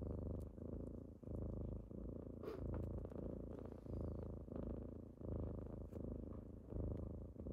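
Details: Kittens rousing their owner in the morning purr in a rich, buzzing low drone, each inhale and exhale marked by a brief dip, with faint rustling and a soft knock in the background.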